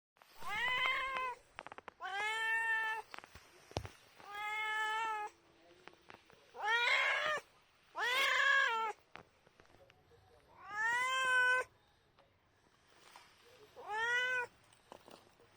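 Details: Grey and white domestic cat meowing seven times over about fifteen seconds; each meow is drawn out and clearly voiced, with a rising then falling tone, separated by short quiet pauses.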